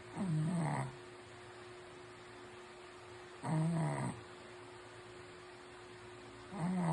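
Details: Shih Tzu asleep and snoring: three deep, rasping breaths that fall in pitch, one roughly every three seconds in a steady rhythm. A faint electrical hum continues between them.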